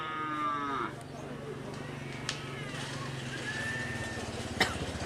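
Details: Madura cattle during karapan sapi bull race training in Pamekasan, Madura, Indonesia; a moo ends in the first second, then a low steady hum and faint voices continue with a few sharp knocks.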